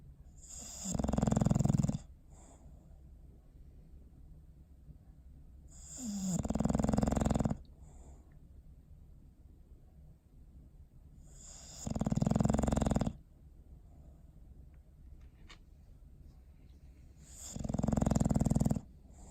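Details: Bowser, a pet dog, asleep and snoring: four long, rough, low rumbling snores, each about a second long, separated by roughly five-second quiet gaps of soft breathing.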